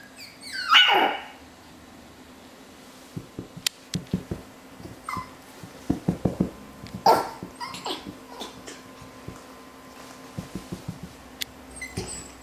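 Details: Male Havanese puppies: one loud, sharp falling yelp near the start, followed by scattered clatter, knocks and light thumps indoors.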